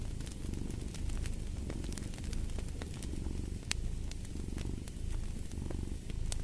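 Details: Cat purring in a deep, even rumble that surges slightly with each breath, accompanied by sharp intermittent crackling from a fireplace.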